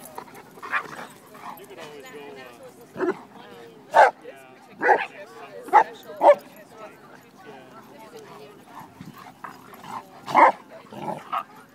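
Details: An 8-month-old female Shiba Inu gives sharp, short barks in scattered bursts while playing with a dog four to five times her size at a dog park, over a murmur of human voices.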